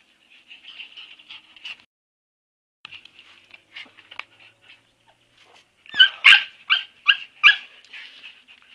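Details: Several Siberian Husky puppies whimpering: thin, high squeaky whines in short bursts, a quieter stretch, then louder yipping squeals repeated about twice a second near the end.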